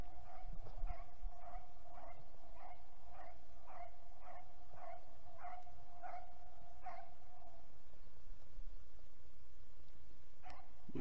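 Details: Hunting dog giving tongue (los) on a roe deer hunt, the first baying of the 2021 season: a steady run of about fifteen sharp, even barks roughly every half second for seven seconds, then quiet with one faint final bark.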